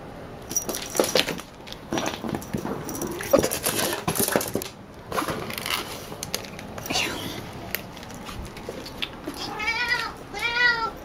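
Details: Picchi, a female cat, excited by a ball made from her own brushed-out hair, meows at the end after a stretch of clattering, scuffling play noises and a voice; normally quiet with toys, she talks a lot at this ball.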